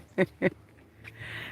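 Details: A donkey on rural off-grid property with a pond gives two short, rough, honking bursts of its bray, close together.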